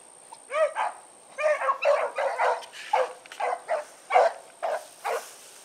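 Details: Evening run of the Blackreek pack (Choco, Dino, Johnny Ringo, Mingo), 16 August 2014: several dogs bark and bay in ragged bursts, some notes drawn out and bending in pitch, with a thin high tone in the background.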